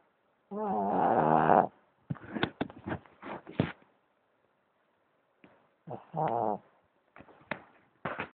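A Boston Terrier snores, each long breath a harsh, vibrating buzz lasting about a second. Between the louder snores come short snorts, snuffles and clicking sounds from the nose and throat.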